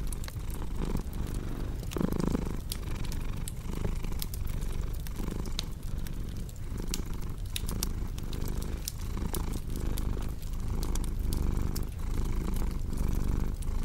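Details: Steady cat purring, a dense low hum with rhythmic breath surges around once per second, mixed with frequent sharp pops and crackles from a burning fireplace.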